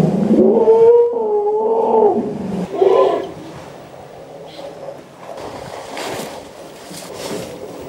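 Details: An elephant from a herd in Botswana, recorded at close range, gives a loud, tonal, wavering call that rises and bends over about two seconds.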